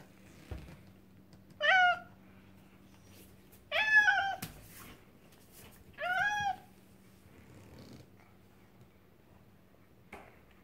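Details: Bongo, a male pet cat fond of dried anchovy, meowing as soon as the fish comes out of its pouch: three clear, harmonic-rich meows, each slightly falling, spaced about two seconds apart over a low steady hum.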